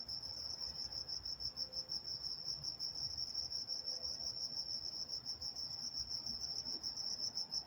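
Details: Walnut, California crickets at night, quieter high-pitched chirps pulsing fairly quickly and somewhat unevenly, possibly more than one insect, with a soft background murmur.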